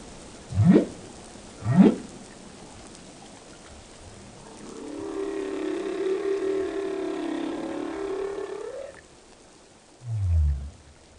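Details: Whale song: two short rising upsweeps, then a long wavering moan held for about four seconds before climbing at the end, and a final low falling grunt.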